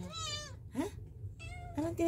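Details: Rescued kitten, one of four, indoors and watching a cockroach on a wall, gives short rising-and-falling harmonic meows, two main cries about a second apart, with a woman speaking softly nearby.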